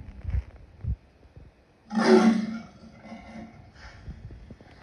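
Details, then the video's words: Lion producing a single loud, harsh roar lasting under a second, preceded by a few soft low grunts and followed by a fading rumble. "Lion sounds"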